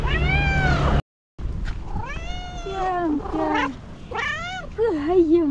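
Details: An excited cat in the morning meows repeatedly: a long steady meow, a brief silence, then several rising and falling calls and a final wavering, trill-like note, with a person's voice nearby.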